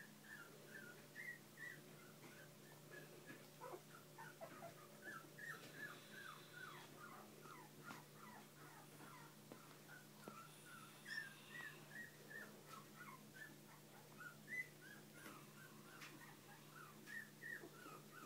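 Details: Bichon and shih poo puppies with their parents indoors give a continuous chorus of thin, high, rapidly repeated whimpers and squeaks, with a steady hum beneath.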